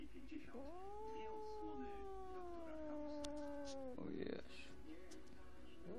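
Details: Sphynx cat at home giving a long, wavering, moaning yowl that gradually drops in pitch over about three seconds, followed by a short rougher cry, over a noisy background.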